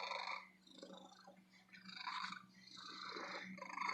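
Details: Happy female shop cat purring close up, a grainy rumbling purr that dips quiet briefly then swells again over a few seconds, with a faint steady hum behind it.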